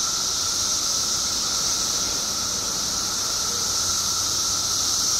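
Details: Mass emergence of periodical cicadas in Illinois after 17 years below ground: steady, intense high-pitched buzzing blends into one unbroken roar, underlain by a level droning tone.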